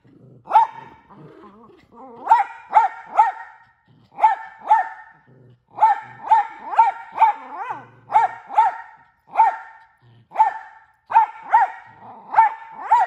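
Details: Mini Australian Shepherd, a pet dog that barks and talks constantly, giving loud sharp barks in quick bursts of two to four with brief pauses, plus a few softer whining, talking sounds between the bursts.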